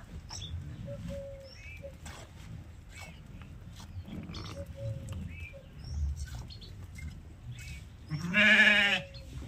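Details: Sheep being milked: scattered short chirps and clicks for several seconds, then one strong, harsh, wavering bleat near the end over a low steady rumble.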